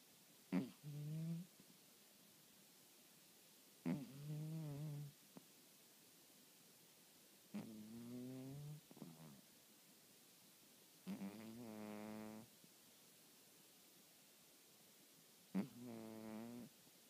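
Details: Pet cat snoring loudly in its sleep: five rough, buzzy snores, each opening with a sharp catch and lasting one to one and a half seconds, repeating roughly every three to four seconds in silence.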